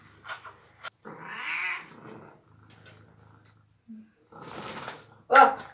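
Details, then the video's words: Domestic cat meowing indoors while being showered with the door closed; one drawn-out, wavering, rising-then-falling meow lasting about a second, with a short high squeak near the end, running water splashes and a woman's voice nearby. "How To Shower a Cat | Sweet Cat Ever | Cat Meowing"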